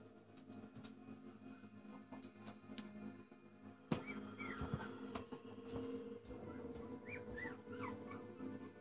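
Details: Chihuahua Nero on his first walk, giving a few short, high whiny whimpers with bending pitch in the second half, after a sharp knock, over a steady low hum and scattered clicks and rustling.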